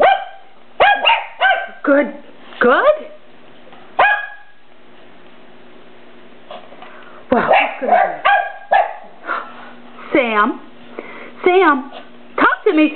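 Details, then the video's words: Several pet Papillons, tri-color, sable and red coats, barking indoors when urged to sing. Quick clusters of sharp high barks and a long drawn wavering whine, with gaps between bursts and a woman's coaxing voice. "Papillons barking"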